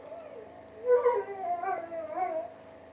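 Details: Pet German Shepherd, one of two kept at a sharpening shop in League City, Texas, howling indoors. A wavering, tonal, sliding howl rises and falls with several breaks between about one and two and a half seconds, over a steady low hum.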